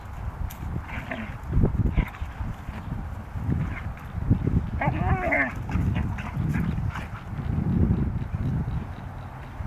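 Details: Two Siberian Huskies, Delta and Molly, wrestling together: a steady low rumbling growl runs throughout, broken midway by a short rising-and-falling yowl with clear bands of overtones.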